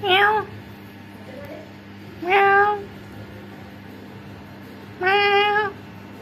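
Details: Orange domestic cats visiting a home give three clear, loud meows roughly every two and a half seconds, each a rich harmonic wail that rises then falls, over a low steady indoor hum.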